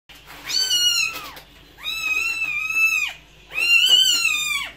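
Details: Domestic cat meowing indoors: three long, drawn-out meows, each holding a steady high tone before dropping at the end, separated by short pauses.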